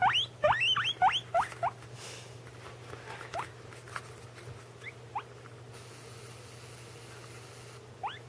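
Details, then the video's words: A guinea pig gives a quick run of shrill, rising wheeks, then a few scattered ones, while another guinea pig eats nearby. "My guinea pig making noises and the other eating"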